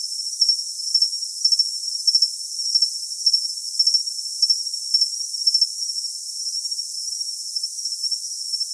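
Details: Cricket sound meant for tinnitus masking, high and thin: pulsed chirp bursts at a fairly even pace, about two a second, then easing into a smooth continuous trill, with a steady hissy background and nothing low-pitched.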